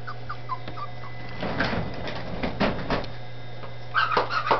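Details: Dachshund puppies in Campinas, São Paulo, settling happily into a new home: thin, high whimpers sliding downward in a quick series, then rustling and knocks, and a few sharper yips near the end over a steady low hum.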